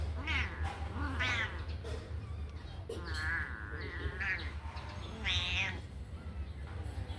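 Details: Kittens out of their cage to run and play, crying with loud, drawn-out wavering meows, several long and quavering, over a constant low electrical hum.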